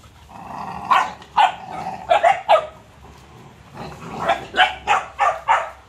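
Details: Playing Cane Corso puppies mix a low whining growl with sharp barks, first in a cluster of four, then a pause, then a steady series of five barks.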